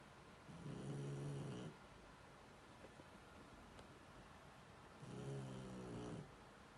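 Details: Sleeping Shar Pei snoring: two long, rough, low rumbling snores about four seconds apart, each lasting roughly a second, with quiet breathing pauses between them in a still room.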